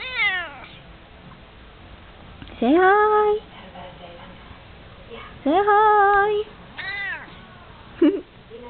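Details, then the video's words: House cat meowing as it falls asleep: several drawn-out cries that rise sharply and then hold level, spaced a few seconds apart, ending with a brief squeak. "Cute kitty meowing"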